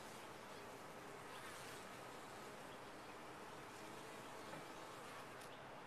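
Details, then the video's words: Bees inside a top-bar hive make a dense, steady buzzing hum that holds evenly for the whole stretch, with a faint low drone beneath and no clear pauses. "Bees in a topbar hive"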